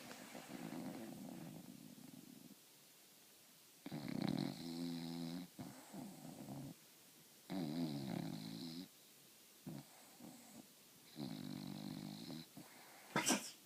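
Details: A French Bulldog snoring indoors in a small room, rough rattling breaths in bursts of about one to one and a half seconds, some with buzzy harmonic tones, separated by quiet pauses; a sharp click near the end.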